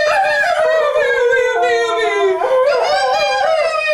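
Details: Guppy, a pet Cocker Spaniel, sings along with his owner; a sustained, tonal howl slides gently downward, jumps to a steady lower note for about a second, then rises back and holds, with rich harmonics throughout.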